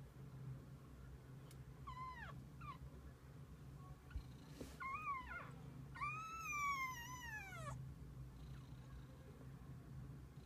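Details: Kittens with their mother cat spending the day together: a few short descending meows, then a long arching, strongly harmonic meow lasting nearly two seconds, over a steady low hum.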